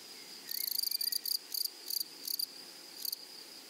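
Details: Grasshopper in a flowery meadow giving short buzzy bursts of rapid ticking, a longer first burst followed by several brief clusters over a few seconds, against a quiet high background hiss.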